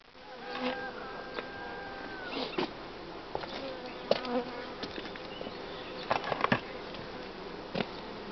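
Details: Honey bee colony in spring, at the time of colony growth and breaking of the brood nest at the hive: a steady, dense hum with a low droning tone, broken by sharp clicks and knocks, a few louder near four and six seconds.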